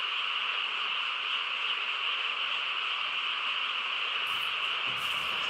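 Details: Many frogs calling together on a quiet rural night, their voices merging into a continuous, even, high-pitched trilling hum, with a couple of brief rustling noises near the end.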